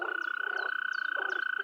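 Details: In an Anatolian wetland, male frogs give rapid croaking notes of about three per second over a steady, ringing high drone, asserting territory against rivals and attracting females.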